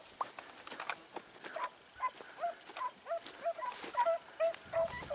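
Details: Segugio Italiano hound named Sofiko during a training outing in Evros on 12 September 2018, giving a steady run of short, high yelping barks, roughly three per second, with outdoor background hiss.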